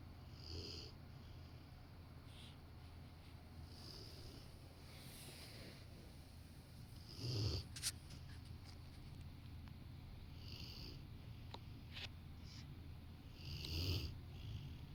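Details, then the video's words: A Rottweiler napping on a sofa next to a person working. Its soft, breathy snores come every three to four seconds in a quiet indoor room, with faint clicks and small rustles between them. "Rottweiler taking a nap while snoring"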